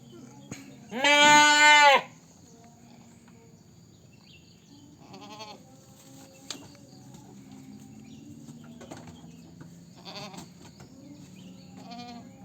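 A goat lets out a single loud, quavering bleat lasting about a second. Fainter, shorter bleats from other goats follow at intervals over a low background hum.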